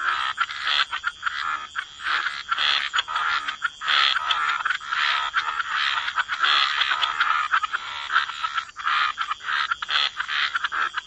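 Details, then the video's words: Dense wetland frog chorus near water: many croaking frogs calling at once in a near-continuous rattling wash, individual croaks barely separable, with a constant thin high whine behind them. "Frog Lullaby: Relax to the Sound of Croaking Frogs"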